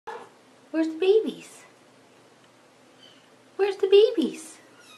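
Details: Domestic cat calling its kittens indoors: two short bursts of chirping meows, each a quick run of bright harmonic notes ending in a downward slide, about three seconds apart in a quiet room.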